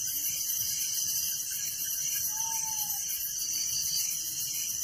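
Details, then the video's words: Village crickets at night keep up an unbroken, very high, rapidly pulsing chorus, with one faint short whistle in the middle. "Relaxing Night Crickets Sound in Village"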